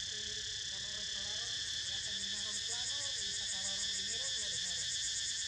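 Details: Cicadas in a dense chorus while Niko snoozes: a steady, shimmering high buzz in several stacked bands with a faint pulsing beat, plus soft low warbling sounds underneath.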